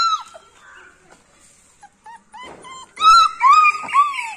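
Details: A Beagle making faint scattered whimpers at first, then a loud run of shrill, wavering cries that rise and fall in pitch over the last second and a half, indoors.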